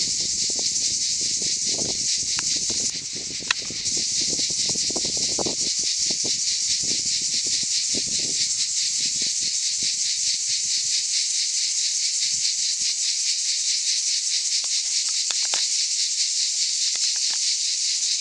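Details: Many cicadas sing together on a summer day in the Aude, France; the harsh, continuous buzzing chorus dips briefly near the start, then carries on steadily, with light rustling at first.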